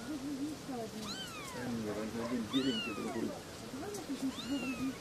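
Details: Three little kittens meowing: a few thin, high, downward-sliding mews, overlapping with a lower murmuring voice throughout.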